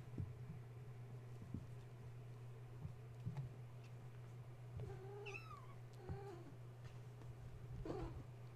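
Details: Wound-up kittens of Gaia at bedtime, woken when the space heater was plugged in, climbing walls and fence instead of nursing; several high wavering kitten mews in the second half, some overlapping, with clicks, scuffling and a steady low hum.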